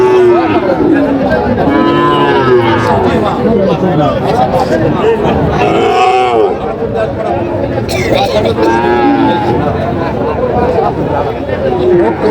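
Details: Sahiwal bull calves, around five to six months old, calling at a busy cattle market near Chandpur on 23 July 2025. Repeated mooing bellows rise and fall, several calves overlapping, beneath loud human chatter and bargaining voices.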